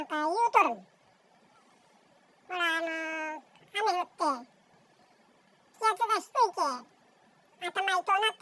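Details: A male Bengal cat, chattering to himself, gives a chatty run of short meows and chirps, some rising and falling, in a quiet room.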